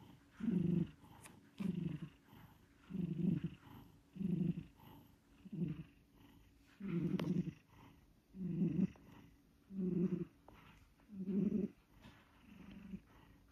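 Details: Pet cat asleep and snoring, a steady series of low, rough, throaty breaths repeated roughly every one and a half seconds over a quiet room.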